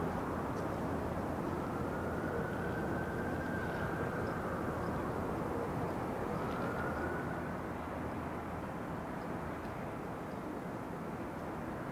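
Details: Steady broadband roar of a passing aircraft or engine, with faint sliding tones, and no animal calls.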